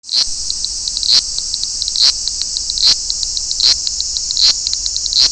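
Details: Large brown cicada in Toyanogata Park, where whole choruses fill the park in August: a dense, continuous sizzling drone, high-pitched, with brighter pulsing accents recurring roughly every 0.8 seconds.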